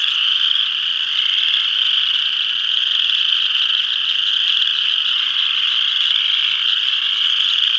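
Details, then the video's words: A pond in northeast Kansas in spring, where a dense full chorus of spring peepers sounds: countless high, piercing peeps blend into a continuous shrill ringing. "Spring Peepers.avi"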